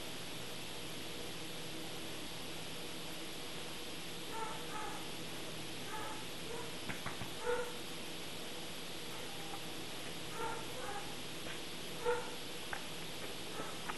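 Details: Rhodesian Ridgeback pup during ear taping, letting out scattered soft yips and whimpery squeaks. Occasional sharp handling clicks and a steady room hiss run underneath.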